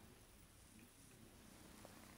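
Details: Silver mackerel tabby tuxedo female RagaMuffin kitten purring quietly indoors, a soft continuous low rumble with steady grainy texture and no pauses, under faint broadband room hiss.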